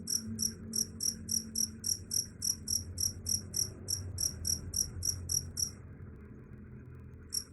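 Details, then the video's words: Cricket chirping said to drive rats away: quick high chirps roughly every quarter second for nearly six seconds, then silence before one last chirp, over faint low hum. "Suara Jangkrik _ Bisa Usir Tikus"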